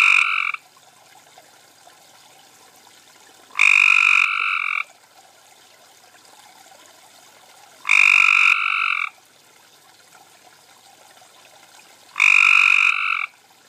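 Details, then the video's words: Cope's gray treefrogs (Hyla chrysoscelis) at a garden pond in Carroll County, Maryland, June 2013, at night, give harsh, buzzy trills about a second long, repeated every four seconds, calling to each other. "Cope's Gray Treefrog - Maryland"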